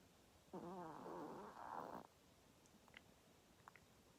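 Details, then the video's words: Sleeping long-haired Chihuahua Chadol, three years old and tired after playing, lets out a single wobbly, quavering whine lasting about a second and a half, followed by faint ticks in a quiet room. "강아지 코골이, 강아지 잠꼬대 장모치와와"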